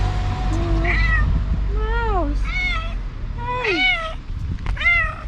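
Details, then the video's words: Hungry stray cat greeting its new owner, who feeds and adopts it: a series of arched, wavering meows roughly once a second, several drawn out and falling at the end, with soft background music. "Stray cat happy to meet its new owner"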